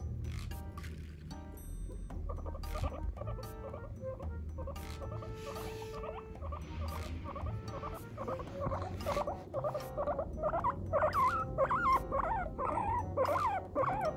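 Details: A guinea pig chatters in the morning in a run of short, wavering squeaks over a low background hum.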